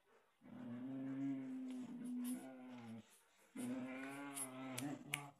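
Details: Two pet dogs, Alpha and Odie, a Samoyed and a white Husky, playing tug with a toy; two long, drawn-out, moaning vocal grumbles with a steady low tone, separated by a short pause, with faint scuffling clicks.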